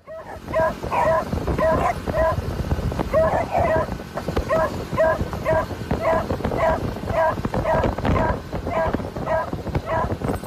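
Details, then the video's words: Three excited beagles riding in a customised moped sidecar on a road trip in Phetchabun, Thailand, bark in quick repeated yelps, roughly two per second in bursts, over steady engine and wind rumble. "Excited beagles enjoy some breeze as they go on road trip"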